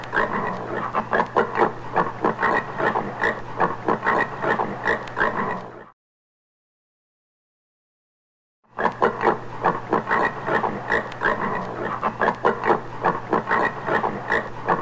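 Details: Common warthog, a wild pig of forest and savanna in sub-Saharan Africa, giving rapid repeated grunts and snorts, roughly two or more per second, in dense bursts with a short silent gap midway.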